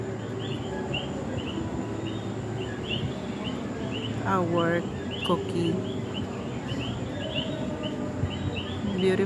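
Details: Coqui frogs in San Juan, Puerto Rico, call in a steady night chorus of short, high chirping notes, with a person speaking.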